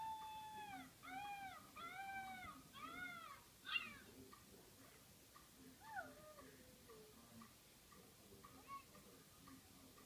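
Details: Pet dog Jada whimpers in a run of four short arched whines, each rising then falling, about one per second, followed by a sharp yelp and a few fainter sliding whines fading out.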